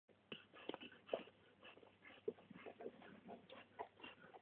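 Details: Labrador Retriever puppies from litter "A" born 20.08.2010 at a breeding kennel, giving short, scattered whimpers and soft squeaks at irregular intervals, fairly faint against a low steady background hum.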